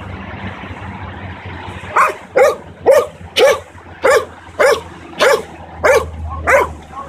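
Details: A 9-month-old Belgian Malinois barks on command during dog training, quiet for two seconds, then nine sharp barks spaced about half a second apart over low background hum.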